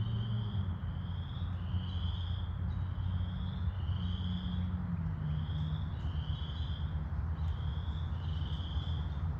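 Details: Chorus frogs at Wentworth Woods in May 2021, giving repeated rising trilled calls about once a second, overlapping in a steady chorus over a low rumble of background noise.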